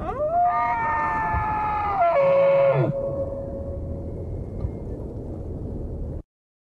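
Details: Moose voicing a loud, slightly rising harmonic wail lasting about three seconds that drops abruptly in pitch at the end, followed by a steady hiss.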